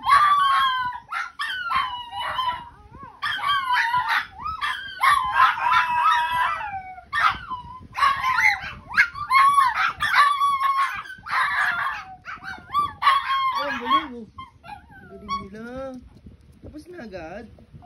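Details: Several dogs howl together in high, wavering, sliding tones that overlap and climb, as if singing in rising octaves. Dog.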